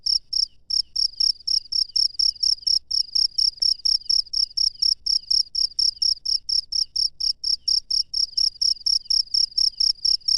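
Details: Wild cricket at night: sharp, high-pitched trilled chirps repeated about twice a second, around twenty in ten seconds, steady and even over a quiet background.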